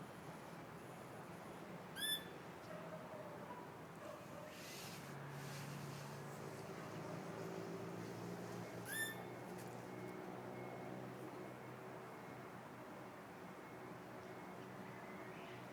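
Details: Wild Pallas's squirrel, feral in woodland between Kamakura and southern Yokohama, sitting on a branch; two brief, sharp harmonic call notes about seven seconds apart, otherwise faint forest ambience with low rumble.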